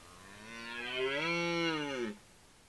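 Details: During the rutting season a red deer gives a single long, moaning roar of about two seconds. It starts low, rises slightly and holds with a rough, harmonic tone, then drops away sharply. Nothing else is heard.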